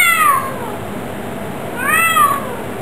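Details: Pet Bengal cat meowing: two clear, tonal, arching meows, the first at the start and the second near the end, each rising then falling in pitch, with a quiet pause between them.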